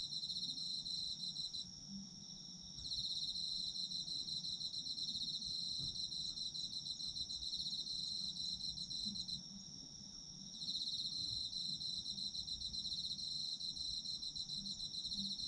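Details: Chorus of autumn insects for sleep ASMR, high buzzy pulsed trilling with two short lulls around two and ten seconds before swelling back; quiet low-pitched background noise underneath.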